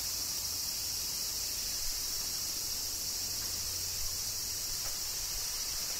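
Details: A steady high shimmer from cicadas in Kyoto, Japan, during summer rain. The drone does not change over the clip and sits over a soft low background hum.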